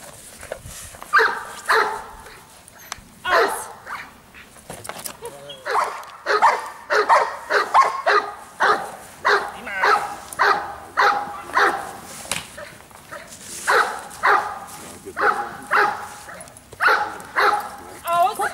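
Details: Giant Schnauzer giving a long run of barks, repeated roughly every half second to second in steady bursts, with a person's voice mixed in at times.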